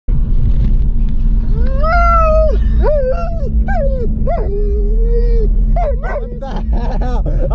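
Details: German Shepherd named YG breaking down crying during a pet hospital visit: a run of loud, high, drawn-out whines, some sliding up and falling, others held steady, about six cries in seven seconds over a low constant hum.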